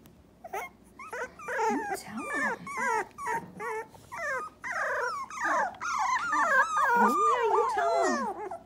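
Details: A litter of three-week-old Dachshund pups crying almost nonstop: overlapping wavering whines and squeals from several puppies, rising and falling quickly, growing louder and denser toward the end.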